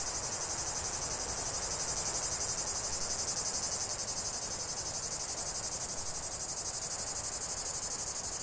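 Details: Chorus of cicadas giving a steady, piercing high buzz that holds at an even loudness throughout, finely pulsed and unbroken, with only faint background hiss beneath.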